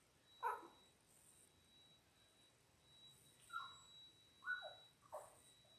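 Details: Newborn Labrador Retriever puppies, ten days old, from a litter of six born January 18, 2022: a lone squeal, then after a pause three brief whining yelps close together near the end, over quiet room hum and a thin electronic tone.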